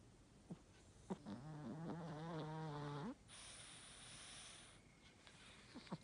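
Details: Snoring from an elderly Chihuahua with a slightly stuffy nose. One long, wavering, nasal drone of nearly two seconds ends abruptly, with faint clicks and soft breaths around it.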